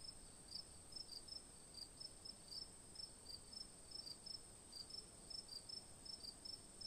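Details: Bright cricket chirps in short bursts, sometimes paired, come two to three times a second against faint background noise.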